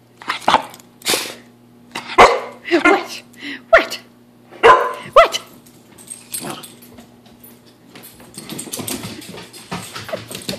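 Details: Indoors in the early morning, Pepper the American Bulldog barks loudly during a run. About half a dozen harsh barks come at uneven intervals over five seconds, then quieter scuffling and murmuring follow. A steady electrical hum sits underneath.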